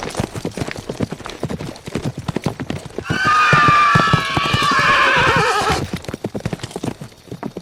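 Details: Rapid hoof clip-clop runs throughout while a horse lets out a long neigh of nearly three seconds, starting high and sliding lower in a trembling, harmonic-rich whinny.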